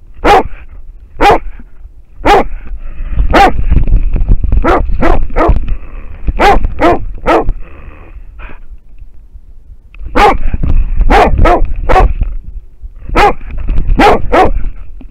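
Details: American Foxhound barking at a wild boar, recorded with a dog-worn camera; short, forceful barks in clusters separated by brief pauses, about twenty across the stretch, with rustling, thumping movement noise and a thin steady whine.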